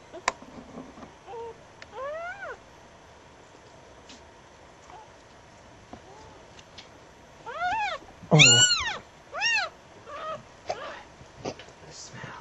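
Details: Puppies only just born, found late on a winter night after a snowstorm: a few thin rising-falling squeaks early, then a quick burst of sharp high squeals near the end over faint background hiss.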